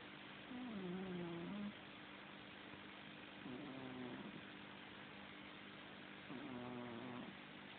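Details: Domestic cat snoring while asleep indoors, three slow, low, rumbling breaths a few seconds apart, each a soft wavering hum, over a steady quiet background hiss.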